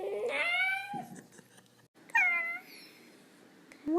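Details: Corgi puppy yawning with a high, squeaky drawn-out whine that slides down, followed after a quiet pause by a second shorter squeaky yawn in a small indoor space.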